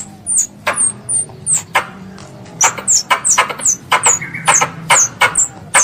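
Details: A squirrel calls for its mother with a steady run of thin, very high squeaks that drop quickly in pitch. Soft clicks accompany several notes, and a low hum sits beneath.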